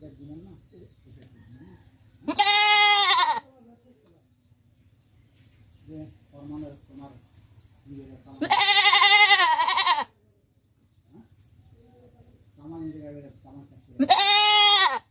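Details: Goat bleating three times at roughly six-second intervals, each cry loud, nasal and tremulous, with softer low murmuring sounds in the quieter gaps between.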